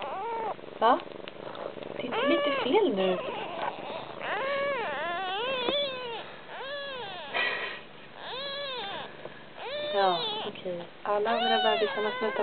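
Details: Siamese kitten, among several nursing kittens, suckling on its mother's paw instead of nursing; a run of high arched, tonal meows, each rising and falling, repeated every one to two seconds, with soft human voices and faint purring underneath.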